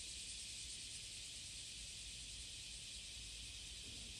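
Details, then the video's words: A cicada at Passage de la Duee on the morning of July 30, 2017, singing to court: an even, unbroken high-pitched hiss with low background rumble. "蝉の求愛Cicada singing to fall in love"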